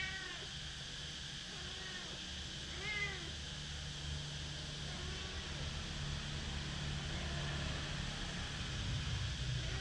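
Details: One-month-old kittens taken outside give faint, thin meows, a few short rising-falling cries near the start and around the third second, over a steady low hum and broad background hiss.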